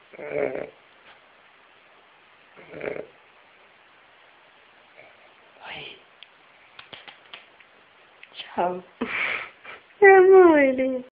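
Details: A sleeping Weimaraner, a female, snores loudly in soft, raspy breaths, followed by a louder voice at the end.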